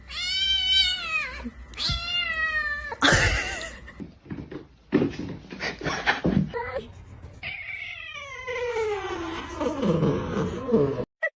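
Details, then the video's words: Kittens fighting: loud drawn-out wailing meows with rich stacked harmonics, sudden broadband hisses and scuffling noise around three seconds, then a long falling yowl near the end. "kitten fight"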